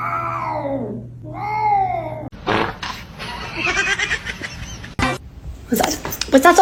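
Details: Kitten meowing: two drawn-out, harmonic-rich meows in the first two seconds, the first sliding downward, the second arching up then falling, followed by overlapping human voices and clattering noise.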